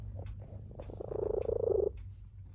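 A tabby cat gives a throaty, trilling call, held for about a second over a low background hum.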